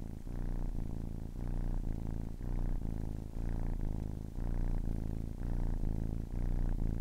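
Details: Close, loud purring from a kitten ten weeks old: low buzzing rumble rising and falling in clear breath cycles, a brief pause between each inhale and exhale, nothing else audible.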